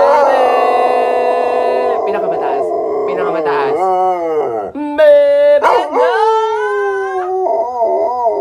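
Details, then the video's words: A dog trained to sing howls together with its owner's voice: several sustained tonal howls that slide downward, break, then rise again in sweeping glides, mixed with human singing. "Singing Dog"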